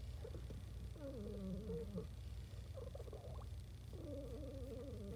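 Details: Happy house cat giving warbling, trilling murmurs, two longer wavering phrases with a brief chirpy burst between, against constant low-pitched background hum.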